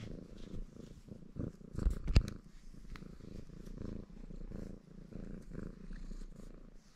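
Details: Red Maine Coon tomcat, a cattery pet, purring contentedly while washing itself indoors; a low rumbling purr pulsing about three times a second, with licking and rustling noises and a few sharp clicks.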